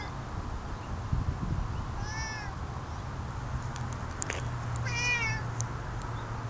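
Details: Domestic cat keeping guard on a pleasant spring day, uttering two clear wavering meows about three seconds apart, a few sharp clicks in between, over a constant low background hum.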